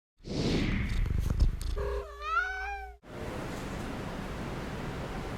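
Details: A Siamese cat gives a wavering, drawn-out meow after low rumbling and rustling, reacting to a fake black cat Halloween decoration.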